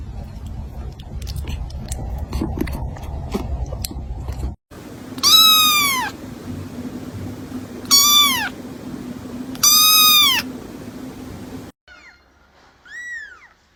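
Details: Kitten calling with a handful of loud, sharply arched meows, preceded by clattering and rustling, with a softer meow near the end.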